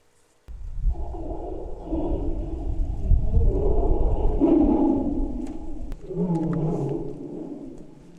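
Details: A tiger's deep, rumbling roar rolls on for several seconds, rough and throaty; played back to wild boars, it made them freeze in fear and some flee into the mountains.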